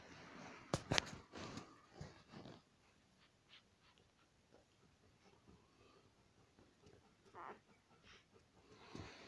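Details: Five-day-old Alaskan Malamute puppies in a small room: one sharp high yelp early on, followed by a few soft grunts and rustles, then near quiet.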